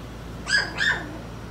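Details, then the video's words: Four-week-old puppy from Skittles' litter, a little female, lets out two sharp, high squeaky yelps about a third of a second apart, each bending downward, over quiet room hum. "Skittles pups 4 weeks old"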